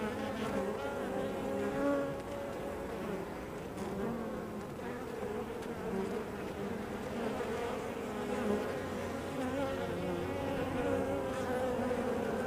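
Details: At the entrance of a honey bee hive, a continuous layered drone of many bees, with individual passing buzzes swelling and fading within the steady hum.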